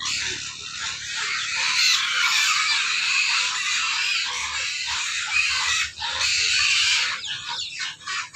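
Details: A group of hungry pigs squeals nonstop at feeding, a shrill, rasping wall of overlapping screams that dips briefly near the end.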